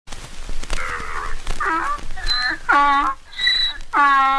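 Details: A donkey or mule brays in loud, harsh bursts that seesaw between a rasping low note and a higher wheeze.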